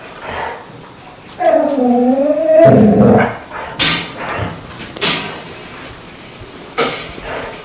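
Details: Dog making an unusual morning wake-up noise for its owner indoors: one wavering, sing-song whine of about a second, followed by sharp tapping or clicking sounds spaced a second or more apart.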